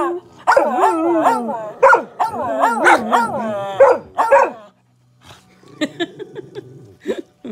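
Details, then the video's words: Samoyeds howling together in a competition, wavering rising-and-falling howls and yips for about four seconds, then a brief silence and a person talking over faint, short yips. "Howling Samoyeds."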